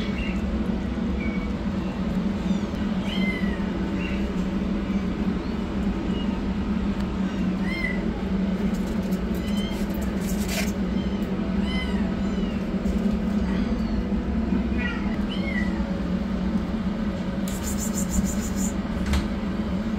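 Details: Rescued yellow kitten running for food, with a black kitten starting treatment nearby; thin, high meows arch up and down at scattered moments, some doubled, over a steady low mechanical hum throughout.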